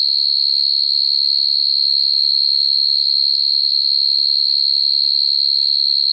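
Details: A common field cricket at night, naturally calling to attract a female, gives a high, steady, shrill, almost whistle-like trill without pause.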